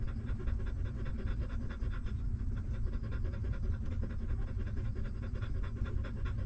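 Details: A stray mother dog feeding her newborn puppies, the hungry pups sucking milk with fast, regular, wet clicking pulses that continue without pause over low background rumble.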